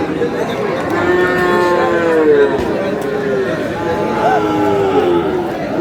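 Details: Lowing cattle at a busy Kurigram market, Bangladesh, during the sale of a Sahiwal bull on 5 May. Sustained, slightly falling moos run through most of the clip against a dense crowd background.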